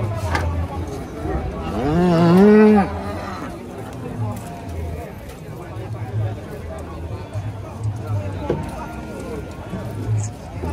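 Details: Rampaging bull being unloaded from a truck: a loud rising, wavering moo swells around the second and third seconds, then low rumbling background and scattered thuds and faint voices follow.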